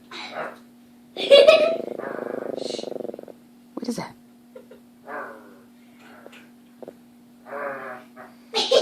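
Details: Daisy, a Chihuahua, growls at a scary shadow puppet while protecting her family: a low, rough, pulsing growl held for about two seconds, with a human voice speaking before and after it.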